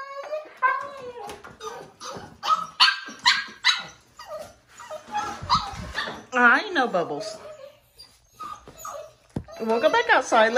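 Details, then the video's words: Five-week-old foster puppy indoors, unhappy at being brought in for dinner, lets out high wavering howls and yelps that rise and fall, interleaved with a woman talking to it; siblings nearby. "5 week old Puppy howl"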